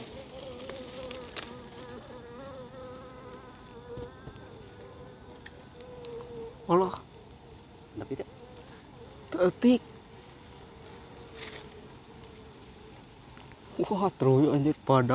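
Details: Bees in a nest inside a narrow hole in an Albasia tree, the hole being widened by hand to reach the honey. A steady low drone hums throughout, broken by sharp knocks and bursts of men's voices.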